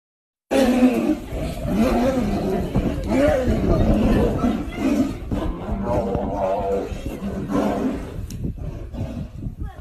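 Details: Siberian tiger (Panthera tigris altaica), fighting growls.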